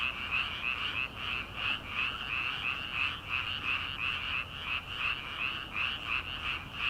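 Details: Many frogs croaking at night in paddy fields in early summer, before rice planting begins; dense overlapping pulsed calls rising and falling in a steady rhythm near three beats a second, no other sounds distinct.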